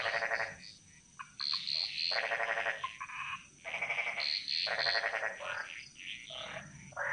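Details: Frogs chorusing in the jungle of Bali: loud pulsed, rattling croaks in bursts about half a second to a second long, with several overlapping callers, and a steady high insect hum behind them.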